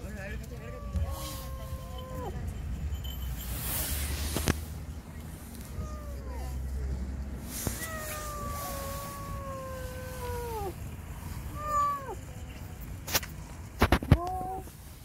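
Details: Tiny stray kitten stuck under a car, coaxed out and rescued: long, level, wavering cries, each held more than a second before dropping at the end, between shorter chirpy meows, with people talking, passing vehicles and sharp knocks.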